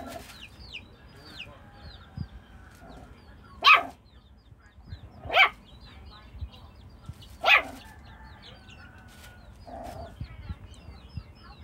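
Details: Jack Russell Chihuahua mix dog playing with chickens gives three loud, abrupt barks spaced about two seconds apart, while hens cluck softly and small birds chirp in the background.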